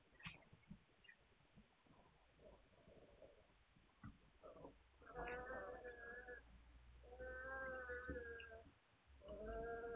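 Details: Hungarian Vizsla puppies, recorded 9 March 2021, give drawn-out, tonal whines in three stretches during the second half, each lasting one to two seconds, over a background of low rustling and soft knocks.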